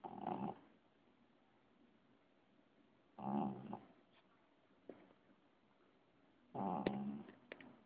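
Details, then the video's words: Snoring cat: low, rough breathy snores with a faint tonal buzz, each lasting about half a second and recurring roughly every three seconds, with quiet pauses and a few soft clicks between them. "Snoring cat"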